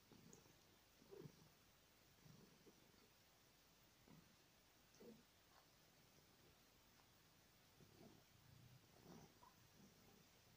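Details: Christy, a pet cat falling asleep on a bed indoors, purrs softly: a faint, low rumbling that swells in breathy pulses about every second, over quiet room hiss.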